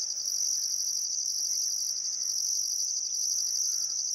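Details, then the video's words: Summer sunset by the Barcoo River, Welford National Park, Australia: crickets give a constant high, rapidly pulsed trill, a higher tone cutting in and out about once a second, with barely audible bird notes. "Australian Sunset Chirping Crickets"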